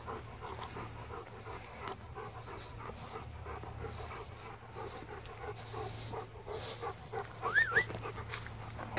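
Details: A Rottweiler out on its daily field walk pants in quick, even, huffing breaths; near the end a brief whistled chirp rises and falls over the breathing.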